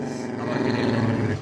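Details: A pet dog named Dodo, carrying around a piece of cloth and refusing to give it up, lets out a steady, low, rumbling growl held for over a second, indoors with no other clear sounds.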